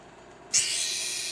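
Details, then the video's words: Newly hatched baby leopard gecko from a fresh clutch, screaming while lunging at a person: a sudden harsh hissing burst that holds steady for nearly a second, then fades slightly, over a quiet room. "Baby Leopard Gecko SCREAMING!!!"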